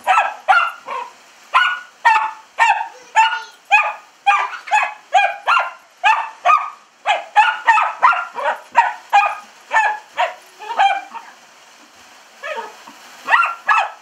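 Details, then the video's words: Pet dachshund named Buddy going wild at a hose-squirted window, licking and trying to bite through it; rapid runs of high yappy barks, several per second, pause briefly near the end, then resume. "Our dachshund Buddy going nuts licking and biting the window being squirted with hose water!"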